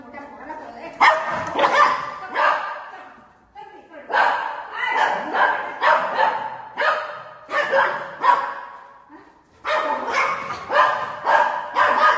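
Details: Buzo, a pet golden retriever at home, barks while 'attacking' his mummy in play: loud, harsh barks in quick bursts of two or three, with short pauses between runs and a woman's voice heard faintly.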